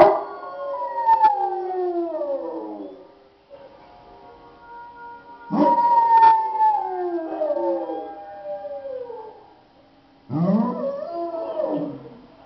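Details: Pet dog giving drawn-out howls, three bouts each gliding from a high pitch down to lower tones over a few seconds, with a faint constant hum in the background.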